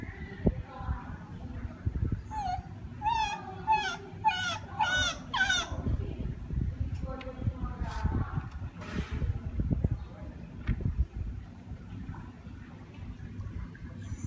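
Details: Siamang in Sumatra calling: a run of loud, rising, wavering whoops that quicken and bunch together, mixed with lower hoots and short barks, over steady low rumbling background noise.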